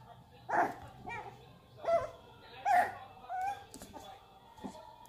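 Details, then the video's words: Boston Terrier puppies playing together, giving a run of short, tonal yips and squeaky barks, some rising then falling in pitch, about five in five seconds, with low growly bursts and faint background voices. "Cutest Boston Terrier Puppies Playing Together"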